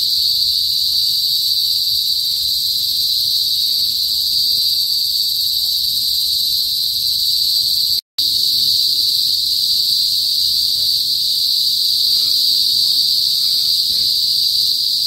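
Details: Cicadas called kuliglig, heard in a northern Philippine province before sunset: an intense, constant high-pitched buzzing drone, broken once by a short gap of silence, then continuing unchanged.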